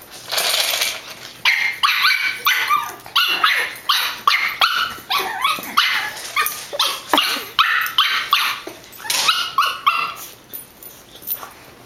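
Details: Female pug playing fiercely and mock-attacking another dog to show she is boss: a dense run of rough, snarling growls and yappy barks in quick uneven bursts, with short gaps, some higher yips mixed in.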